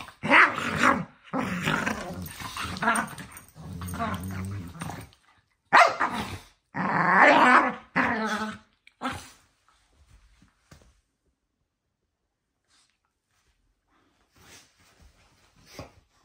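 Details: Two dogs playing before bedtime give loud, gravelly growls and snarls over the first nine seconds. After that the clip falls almost silent, with a few faint scuffles near the end.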